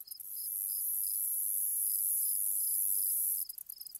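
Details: Grasshopper ambience with a continuous, piercing high-pitched drone and separate short chirps spaced irregularly, roughly two per second. The drone breaks into quick fluttering pulses only at the very start and end.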